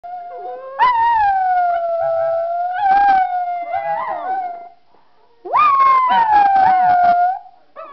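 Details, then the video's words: Three Miniature Schnauzers howl together at home, as they do every day, in long, wavering tones that rise sharply and then slowly sink. "Miniature Schnauzers Howling! Khloe, Ruby, nd Spencer"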